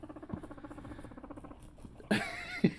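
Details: Pet guinea pig, Luna or one of her sons, while Luna wants celery: a rapid run of low pulsed chutters, then a sudden loud burst of high squealing whistles with sharp clicks near the end.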